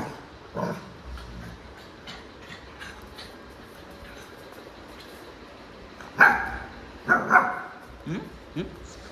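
Rottweiler puppies give short, sharp barks and yips, with a person's voice in the background.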